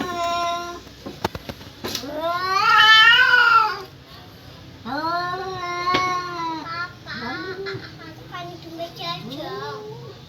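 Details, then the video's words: Cats yowling back and forth, mating or squaring up to fight: a run of wavering, nasal wails of shifting pitch, one long loud cry followed by several shorter rising and falling moans, with a few clicks. "KUCING MINTA KAWIN APA MAU BERANTEM...?"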